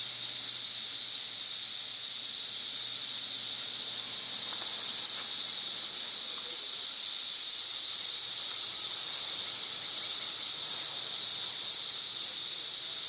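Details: Mass of singing cicadas, May 31, 2024, close to 90 decibels loud, producing a relentless even shrill drone without pauses or changes in rhythm.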